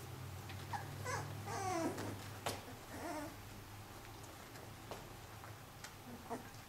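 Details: Four-week-old Pyrenean Shepherd puppies, the curious, ever-exploring female Cilène among her stronger brothers, produce a run of wavering, sliding whimpers and squeaks early on, then quieter scattered clicks and rustles above a constant low hum.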